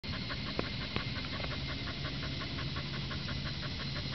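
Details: Higurashi cicada song in the background, a dense run of rapid, evenly pulsed rattling notes, kana-kana and keke-keke, repeating steadily throughout with a couple of sharp clicks early on.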